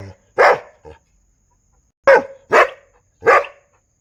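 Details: A barking dog gives one loud, rough bark and a short soft yelp, then after a pause three more forceful barks in quick succession in an otherwise quiet setting.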